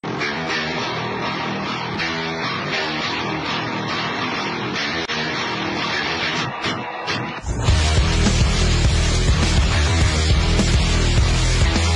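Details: Loud rock music with heavy guitar and drums, growing louder and denser about halfway through, with no animal sound.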